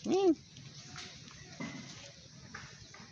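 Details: Hungry stray cat meowing loudly to ask for food: a single short, arched meow right at the start that rises then falls, followed by quiet background murmurs and faint indistinct sounds.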